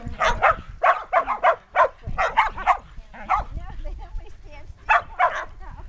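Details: Outdoor romp of a sheltie herd with six 8.5-week-old puppies zipping around a yard in 2010; dense clusters of quick, sharp yapping barks, a quieter stretch with faint voices, then another burst of barking.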